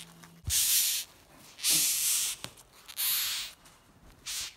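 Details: Rhinoceros beetles in a kitchen, hissing when disturbed: four loud, breathy bursts of broadband hiss, each about half a second to a second long, separated by short quiet gaps, with a soft thump at the start.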